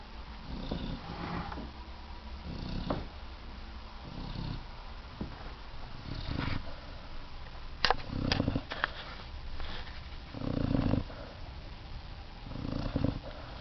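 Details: Piper, a male puppy, snoring very loudly in his sleep: low, rasping breaths that swell and fade roughly every two seconds, with a few sharp clicks in between.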